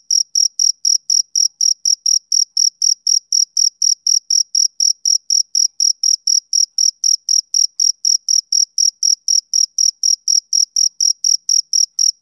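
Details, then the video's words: Steady chirping of a male cricket on a summer evening, roughly 49 short, bright, high-pitched pulses at about four per second, evenly spaced, over a silent background. "Cricket Chirping Sound Effect"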